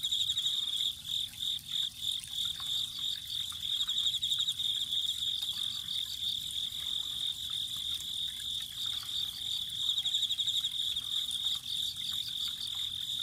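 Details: Chorus of autumn insects near spring water: a sustained shrill trill with rapid beating pulses, plus separate short bursts of higher chirps repeating every few seconds, over a soft flowing-water background.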